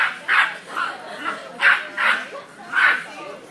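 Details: A 5 lb Cairn Terrier (Canis familiaris) fires off sharp, high aggressive barks in quick bursts at a pet store, threatening and warning off a 200 lb St. Bernard.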